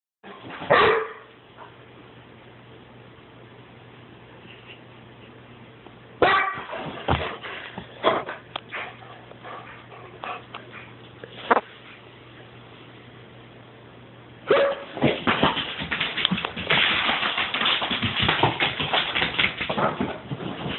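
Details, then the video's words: Weimaraner dog barking in bursts, with sharp calls near the start, a cluster around six to eight seconds, then a long noisy stretch of loud, rough barking and scuffling toward the end; steady low hum underneath. "My crazy weim"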